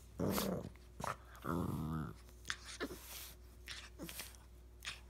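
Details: Puppy playing with an older dog indoors: two short bursts of low, rumbling play growls, then scattered soft yips and scuffling over a steady background hum.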